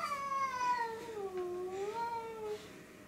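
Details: Cat yowling while attacking another cat, one sustained, tonal moan that sags in pitch, swells back up and wavers before fading, in a quiet room.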